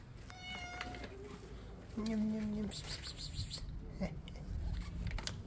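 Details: Hungry kittens complaining that dinner is late, giving two clear meows, a higher flat one followed by a louder, lower sustained meow, then quieter rustling and background hiss.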